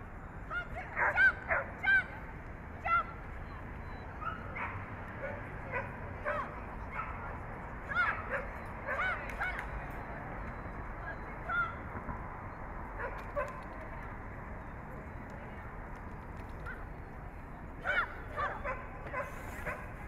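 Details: Samoyed named Kanzu Sun barking at a Samoyed Club of LA AKC dog show, July 2010, in the Excellent Standard class: short sharp barks and yips come singly or in pairs at irregular intervals over a steady background hum.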